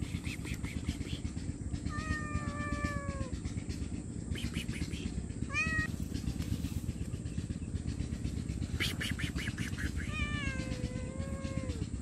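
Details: Hungry stray cat meowing loudly for food and shelter: a falling meow, a brief clipped one, then a longer wavering meow near the end, with low traffic-like rumble and scattered clatter throughout.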